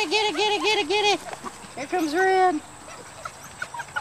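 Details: Dutch Shepherd puppies from a litter of four males and three females born July 18, 2013, seen together as a group; a wavering, warbled whine repeats four times quickly, then another shorter whine follows, with a person talking and encouraging them.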